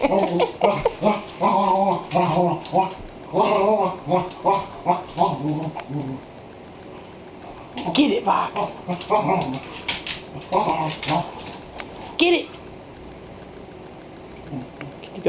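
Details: Boxster, a pet dog indoors in a kitchen, barks at a watermelon being rolled across the floor. A burst of repeated harmonic barks fills the first six seconds, with voices encouraging him throughout and more barks later.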